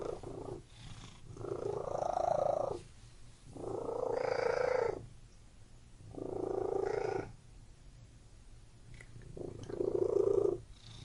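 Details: Domestic cat purring indoors in a room, breathy rumbling bursts alternating with quieter pauses roughly every two seconds, each burst lasting about a second, steady low hum underneath.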